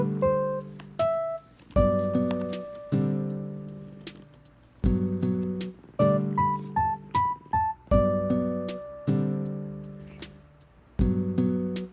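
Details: Piano music only, with repeated chords and short melodic notes; no animal voice is heard.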